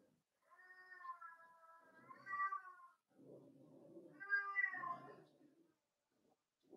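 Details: Cavalier King Charles Spaniel puppies, four weeks old, whine inside their pen during socializing with other dogs: drawn-out, slightly wavering tonal whimpers in two long bouts, with rougher noisy sounds in between.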